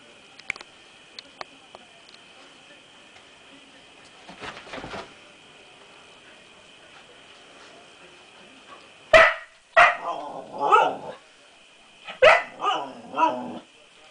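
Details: Six-month-old female Siberian Husky puppy, indoors, meeting her reflection for the first time: after quiet with a few clicks and rustles, she bursts into sharp barks followed by wavering, whiny woo-like howls in two bouts; steady electrical hum behind.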